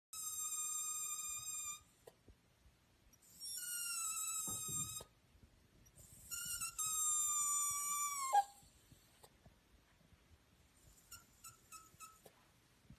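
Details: An Italian Greyhound lets out three drawn-out, very high-pitched whines, thin and nasal, each held for over a second; the last droops downward before breaking off, followed by faint, short squeaks.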